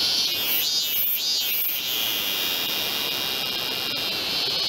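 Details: A min-min cicada, described as off-key, in a temple precinct in Tokyo's 23 wards in August 2018, sings shrill, pulsing buzzes that run together into a steady, high drone.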